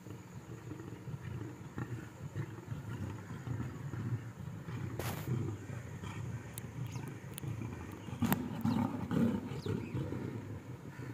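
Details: Lions at feeding time on safari keep up a dense, deep growling and snarling rumble throughout, broken by a few sharp knocks near the middle, with a faint steady high hum behind.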